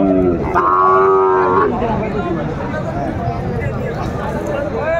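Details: Sahiwal bulls traded at a livestock market in Aftabganj, Dinajpur, Bangladesh, 28 January 2025. One loud, steady moo lasts about a second and is followed by market chatter and a faint rising call at the end.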